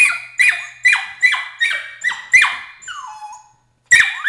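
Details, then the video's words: Emily, a 13-week-old Border Collie puppy, protests crate training with shrill high screams, each starting sharp and sliding downward, repeated about every half second in a rapid string, then a short pause, then a lower falling whine and another scream. "See Emily Scream"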